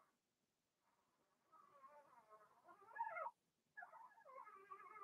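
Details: Blenheim Cavalier King Charles Spaniel puppies, part of a six-pup litter kept in a home pen during potty training; a soft rising whine swells into a louder wavering cry, pauses, then resumes with quivering tones.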